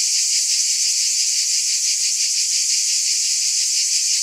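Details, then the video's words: A continuous, piercing cicada drone, high and hiss-like, softly throbbing at around three beats per second without pause or change in level; no other sounds. "Mmm! Scintillating Cicadas"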